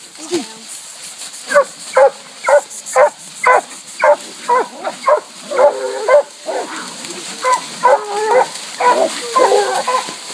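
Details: Treeing a raccoon at a new hunting spot, four coonhounds (two walkers aged eight months and five years, an 18-month bluetick, a six-year black and tan) bark steadily, roughly two barks a second, some bawling notes overlapping.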